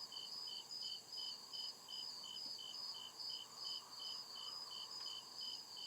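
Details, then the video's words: Night chorus of crickets in a deep forest, rhythmic high-pitched chirps pulsing roughly every half second over a constant shrill drone, with a faint low background murmur. "CRICKET CHIRPING SOUND"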